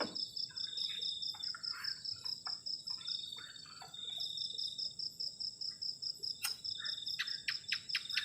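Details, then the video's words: Crickets at a forest-edge campsite on a cold night: a bright, fast-pulsed trill runs almost throughout above a constant whine, broken by irregular clatter and taps of camp work and a sharp snap late on. "ENJOYING THE SOUND OF CRICKETS ON A COLD NIGHT"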